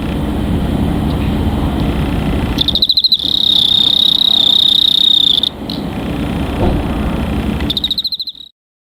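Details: High cricket trill: stuttering pulses, a steady buzzing stretch of about three seconds, then another burst of rapid pulses, with low rumble underneath.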